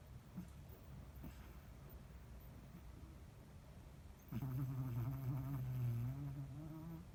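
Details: A sleeping Chihuahua, checked by a vet and found healthy, snores after four quiet seconds: a steady, low, humming nasal drone held for about three seconds with a faint whistling overtone.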